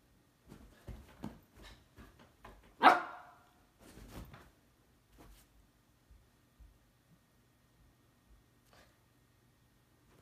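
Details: Siberian husky indoors trying to wake a resting cat by stamping, the cat fending it off; one loud bark amid soft thumps and shuffling, then quiet with faint scattered knocks.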